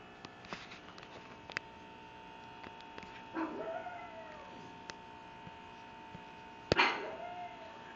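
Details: Cupcake, a little female pug, 'explaining' individual ownership and capitalism to her sister: two drawn-out whining yowls, each with a sharp onset and a falling, arched tone, separated by a few seconds, with scattered clicks and a steady electrical hum.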